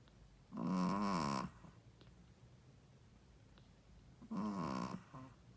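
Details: A female Shih Tzu, a first-time mother, snores loudly with two long rasping, rattling breaths separated by a quiet pause.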